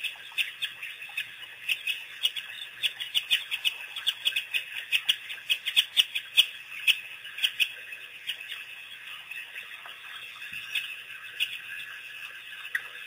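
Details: African wild dogs, also called painted or Cape hunting dogs: a released pack making its first visit to Pete's Pond on April 5, 2008. High squeaky chirps and twitters come in quick irregular bursts, many overlapping, over a steady hiss.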